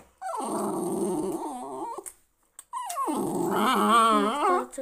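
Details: Jack Russell Terrier growling to protect its owner: two harmonic, snarling bouts of about two seconds each, rough and wavering, separated by a short silence.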